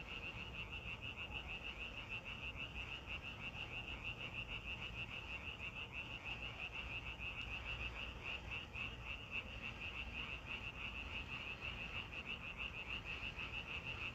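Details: Continuous chorus of frogs in a natural place, fast repeated trilling croaks holding an even pitch throughout, layered over persistent low background noise.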